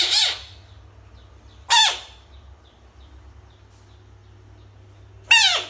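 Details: Three short, harsh frog screams, each a brief descending broadband burst, well spaced over several seconds as the animal faces toys, with a low steady hum underneath.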